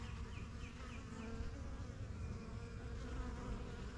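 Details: Busy backyard beehive: honey bees of the strongest yellow hive, started spring 2023, coming and going; a thick, continuous low buzzing, with a short run of four quick falling bird chirps near the start.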